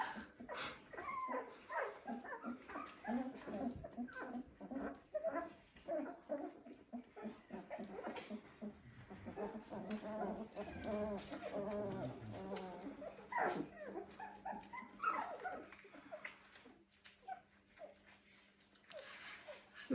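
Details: A litter of 17-day-old Dalmatian puppies in a pen, settling to drink from their mother: a steady chorus of thin, wavering squeaks and whines that thins out toward the end, with intermittent human speech.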